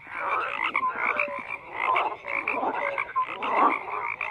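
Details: Frogs croaking in a dense chorus, many overlapping rasping pulsed croaks with brief higher whistled notes, steady and continuous with no other sounds.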